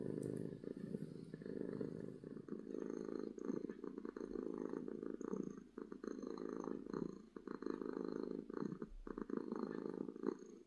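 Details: A contented domestic cat gives a loud, happy purr. The rough, vibrating drone goes on for about ten seconds, rising and falling in strength with its breathing, and it is picked up close-up in a quiet room.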